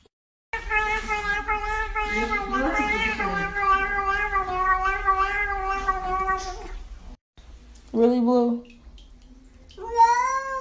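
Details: Domestic cat in a compilation of 'talking' cats, holding a long steady wailing meow for several seconds while a person talks over it, then two shorter meows near the end.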